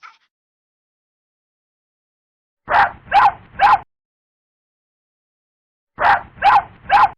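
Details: Puppy producing harsh, broadband barks in two tight series of three, each bark roughly a third of a second long, separated by about two seconds of silence, with a faint squeak at the very start.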